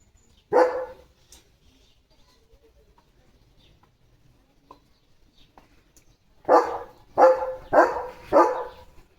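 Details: During morning fun, Leo the pet German Shepherd gives one loud bark, falls quiet for several seconds, then lets out a rapid burst of four barks in close succession.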